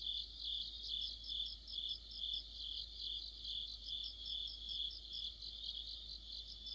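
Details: Autumn chorus of crickets and other insects: a dense, high, shimmering trill of rapid pulsed chirps layered over one another, running without pause and pulsing gently in loudness, with no other sounds standing out.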